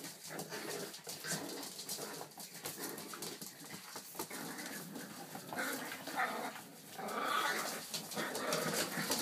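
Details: Baby Boston Terriers attacking one another in play: constant scrabbling and scuffling with brief whining yelps, a cluster of higher whimpers rising near the end.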